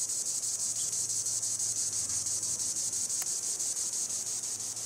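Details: Green annual cicada (Tibicen linnei) singing in the treetops: a continuous, steady high-pitched buzzing drone with a faint pulsing rhythm, unbroken throughout, with one brief click partway through.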